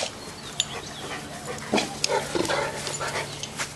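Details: Boerboel puppies being exposed to new sights and sounds; scattered short high yelps and whimpers with harmonic overtones over a low steady hum, with brief soft handling noises.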